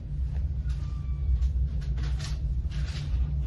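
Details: A steady, deep rumble like a running engine fills the recording, with faint hissy bursts higher up and no animal voice.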